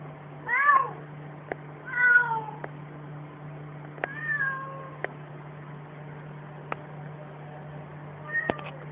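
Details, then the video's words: House cat caught barking before trying to play it off: two short, chirpy, wavering cries early, a softer one midway and a faint one at the end, with scattered sharp clicks over a steady low hum. "CAT GETS CAUGHT BARKING"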